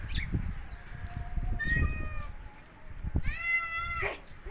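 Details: Domestic cat in natural surroundings in snowy winter, two drawn-out meows, the second longer and louder, with crunching footsteps or handling noise and low rumble between calls.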